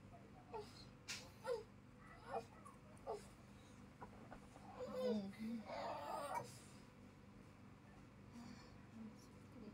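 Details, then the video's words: Playful kitten kept as a house cat, giving short thin mews about once a second, each brief and slightly bending in pitch, followed by a few seconds of people talking nearby in a small indoor room. "Anak kucing lucu Sedang Bermain"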